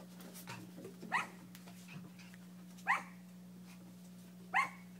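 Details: On a kennel deck where Cleo's puppies play, three loud, sharp single barks ring out about 1.7 seconds apart over a steady low hum and faint background scuffles.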